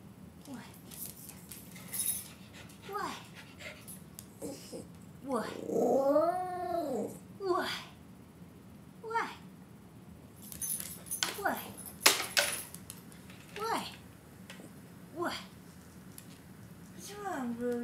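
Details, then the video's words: A female Basenji gives drawn-out, wavering yodel-like whines and grumbles, complaining as her owner asks what's wrong. "Basenji Complaining About Life."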